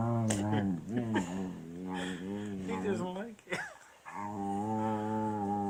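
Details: Beagle, male, objecting to having his tummy rubbed: choppy, broken whining grumbles with a voice speaking over them, then a pause and a steady, drawn-out low moan to the end.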